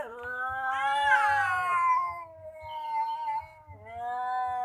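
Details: Cats threatening each other: drawn-out, wavering yowls that rise into a harsh, strained peak, then slide down into lower moaning wails. Soft low thumps sound underneath.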